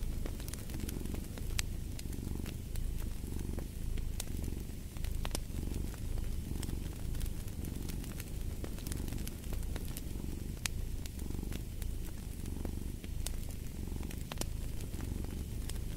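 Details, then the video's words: Low, continuous cat purring rolls in rhythmic breath cycles, rising and falling roughly every second, with frequent snapping crackles from a burning fireplace mixed in. "Purring of a Cat"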